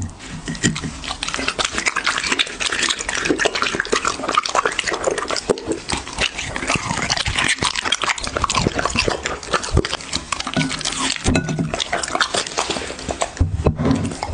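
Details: A dog eats in a close-miked ASMR recording. Steady wet chewing and smacking runs continuously, with a few louder crunches and brief pauses toward the end.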